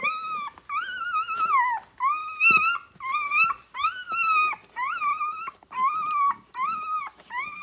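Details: Six-day-old Rhodesian Ridgeback puppies nursing on their mother, described as loud; loud, sustained tonal cries about a second long, slightly wavering, repeated with brief pauses, about eight in a row.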